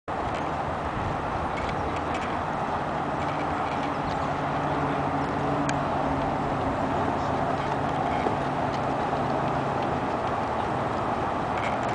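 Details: Steady broadband rumble like passing vehicles or a train, with faint low hum and scattered clicks; no animal call stands out.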